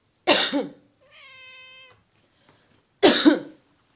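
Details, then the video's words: Pet cat Sausage, a female, answers coughing with a meow. A harsh cough is followed by a level, sustained meow of under a second, then a second loud cough closes the sequence. "Cat named Sausage meows every time I cough"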